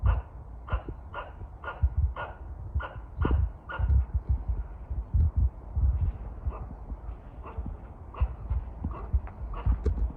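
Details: Threat calls of a squirrel toward birds at a shrine in Kawazu, Shizuoka, Japan: a brisk series of harsh barks that fade and grow sparse, amid loud low rumbling and thuds.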